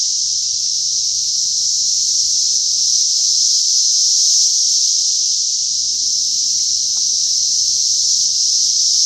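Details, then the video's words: Cicadas, called locusts, in Oklahoma on 16 June 2013: a loud, steady, high-pitched buzzing drone that barely changes throughout. "Locusts loud noise(oklahoma style)"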